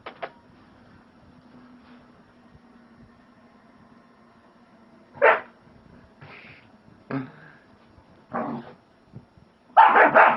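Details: German Shepherd puppy recorded on a phone at home: a few short, harsh barks and yips spaced irregularly over ten seconds after a quiet stretch, ending in a louder burst, with a low indoor hum underneath.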